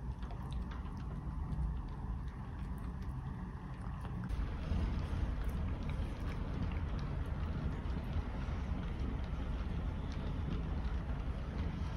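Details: Steady low rumbling wind and rain noise from a rainy, windy day, with a louder gusty stretch midway and no animal voice.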